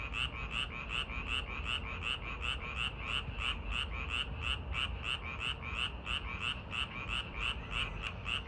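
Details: A frog calls at a park in summer, in quick, even pulses of about three raspy croaks each second, over a low background rumble.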